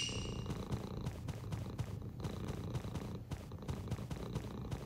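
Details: Young male British Shorthair cat purring, a steady low rumbling purr pulsing evenly throughout, recorded close indoors with faint background hum.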